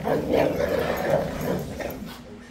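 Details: Pair of Rottweilers squabbling over one bone despite having multiple bones; a continuous grumbling growl pulses in short throaty bursts, with a faint human voice in the background.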